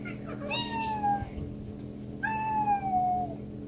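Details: Domestic cats indoors: two drawn-out meows, each falling slightly in pitch and with rich harmonics, separated by a short pause, over a steady low background hum.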